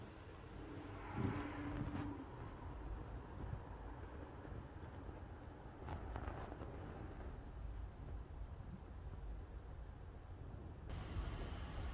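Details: Steady low traffic rumble and wind, with a thin constant high-pitched whine running through most of the recording.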